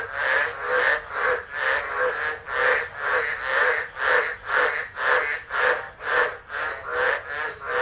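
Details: Tropical frogs calling through a storm at Driver, Northern Territory, Australia, 13 December 2013, captured by a phone set down nearby; strong, regular rasping croaks repeated roughly twice a second in a close, even rhythm.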